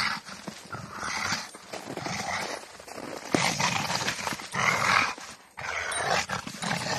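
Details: A Rottweiler playing with a tyre growls in rough, breathy bursts with pauses between them, while a woman talks over the play and calls the dog fearsome.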